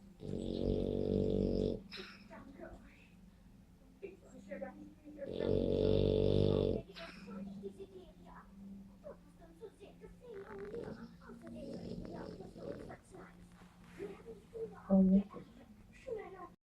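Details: French Bulldog snoring, with two loud, harsh, rattling snores of under two seconds each near the start, then a long stretch of soft, irregular breathing noises and faint murmuring over a constant low hum.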